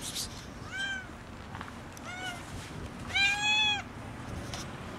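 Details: Hungry, skinny kitten crying loudly for food: three meows, the first two short and arched, the last longer and louder, over soft steady background noise.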